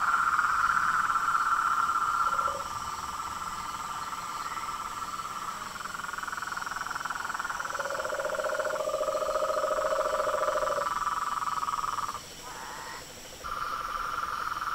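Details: Night chorus of frogs, toads and treefrogs at a pond in front of a house veranda, recorded at dusk in Brazil: dense overlapping trilling bands, one lower pulsed trill joining midway, brief pauses near the end.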